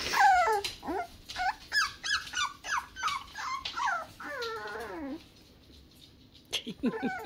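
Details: Toy Poodle pups, six weeks old and described as mad, let out shrill falling squeals and whines in a rapid cluster, ending with a long descending whimper, a short quiet gap, then more yelps.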